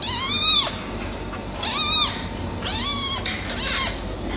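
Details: Male silver tabby cat giving four bright, rising-and-falling meows in quick succession, roughly one per second, over light background hiss.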